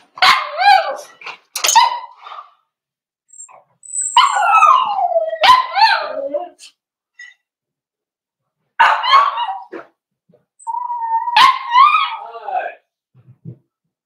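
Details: Litter of four-week-old Cavalier King Charles Spaniel puppies in a puppy pen, socializing with adult dogs. They give repeated harmonic yelping whimpers in uneven bursts, some climbing then falling in pitch, with short silent gaps between.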